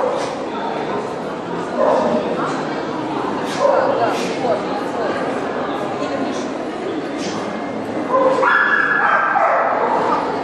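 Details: Black Russian Terrier at a dog show in Kyiv, Ukraine, June 2010, giving short, irregular bark bursts that rise above steady crowd chatter and talking in a busy hall.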